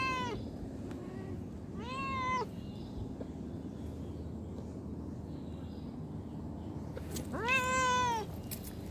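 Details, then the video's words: Street or pet cat meowing three times: harmonic, arched, rich calls near the start, around two seconds and a longer one late, with quiet low hum and faint noise between them. "funny and cute cat and street cat || cat lovers viral cat | meowing"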